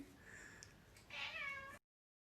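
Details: A pet cat from an Indonesian TikTok compilation gives a short, quiet meow that rises and then eases off over about half a second, with soft room noise before it.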